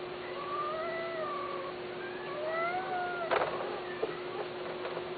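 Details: Male and female Persian cats mating give drawn-out, wavering mating yowls over a steady electrical hum.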